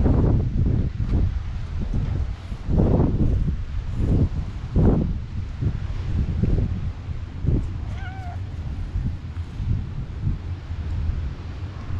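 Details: Stray cat met in a park, clinging to the legs of the person filming on a GoPro HERO8; a single brief, high, slightly falling meow around the eighth second over heavy wind rumble and footsteps.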